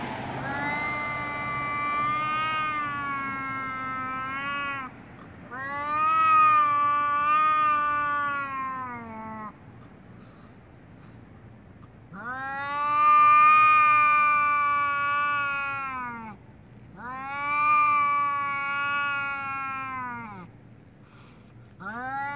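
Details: Domestic cat, angry and about to fight, lets out a series of four long, loud caterwauling yowls, each several seconds long with a steady, harmonic-rich wail and brief pauses between, building and fading in intensity.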